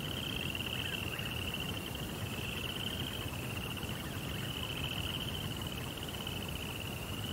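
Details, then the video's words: Crickets chirp through the night in a Japanese-style rock garden by a koi pond; a steady high trill runs with slight swells in loudness, and a faint lower chirping is heard beneath, over low background noise. "Cricket Sounds"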